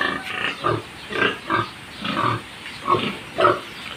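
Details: Short, low-bodied sow producing a steady series of rhythmic, nasal grunts, roughly one every half to three-quarters of a second, each a short throaty pulse, with no other clear sounds.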